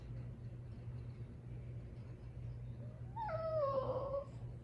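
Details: Upset female French Bulldog complaining about her toy, giving one brief high whimper that slides downward and fades, heard after a few seconds of quiet indoor background hum.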